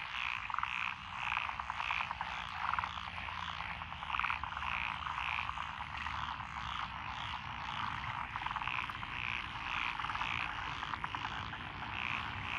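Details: Frogs calling in lotus paddy fields beside a country road in Echizen, Fukui Prefecture, Japan, June 2021; rhythmic bursts of nasal croaks repeat in pulses over a continuous background chorus of many frogs.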